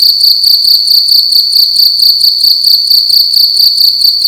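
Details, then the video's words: Loud cricket indoors at night, its piercing high trill broken into quick regular pulses, about two chirps each second, continuous and unvarying over the short stretch, room otherwise quiet. "Cricket making loud sounds at night in a room"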